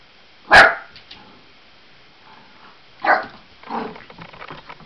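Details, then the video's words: An 8-week-old Labrador cross Australian Blue Heeler puppy, indoors and afraid of balloons, gives one sharp loud bark, a second bark about two and a half seconds later, then softer whines and rustling. "Puppy Afraid of Balloons"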